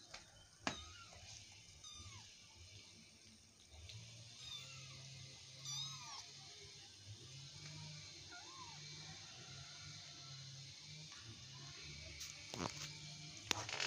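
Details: Affectionate domestic cat mewing softly several times, short bending cries scattered across the stretch, over a steady low hum with occasional sharp clicks.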